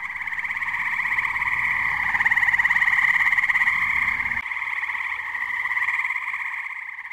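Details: Tree frogs calling together on a muggy night at a New Jersey pond, their rapid pulsed trills blending into an unbroken, swelling chorus that rises mid-clip and holds steady to the close.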